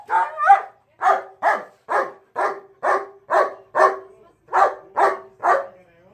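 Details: German Shepherd barking in a steady series of about eleven harsh, loud barks, some doubled, spaced roughly every half second, with a clear pitched tone under each bark.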